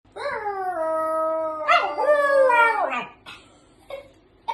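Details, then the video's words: Pet dog howling back at its owner in a long, wavering, vocal run lasting about three seconds, then short yelping notes and quiet gaps. "dog keep talking"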